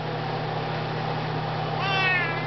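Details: A Maine Coon cat gives a short, drawn-out meow over a steady background hum, "singing" along as its owner sings You Are My Sunshine.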